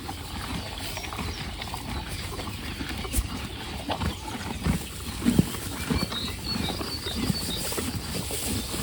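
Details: Horses munching hay steadily, with soft crunching and rustling as they chew; they are still being fed hay while the grass improves.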